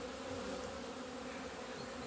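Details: Honey bees leaving the hive on 17 February 2020, flying out into the sun for the first time in two months after many warm days; a steady droning hum with a low tone and an octave above, unbroken throughout.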